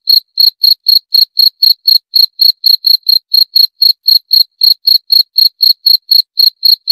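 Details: A cricket keeps up an unbroken run of sharp, high chirps at about four per second, evenly spaced throughout, with no background noise.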